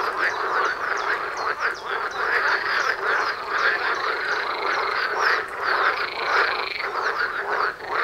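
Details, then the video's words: Frog concert outdoors near a house, carrying far across the area: many overlapping croaks form a steady, throbbing chorus, with some higher drawn-out tones rising above the rattling mass. "Froschkonzert vor der Haustüre"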